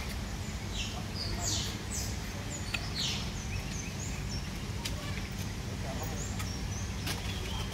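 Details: A group of otters giving short, high, squeaky chirps that drop in pitch, scattered in quick bursts through the clip over a steady low rumbling background with faint clicks.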